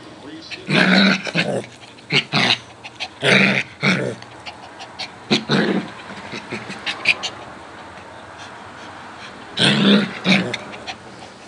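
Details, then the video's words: Two dogs, a Coton de Tulear and a Yorkie Lowchen mix, playing together; short bursts of harsh growling and grunting come in clusters near the start, middle and end, with quiet gaps between. "Dogs Playing"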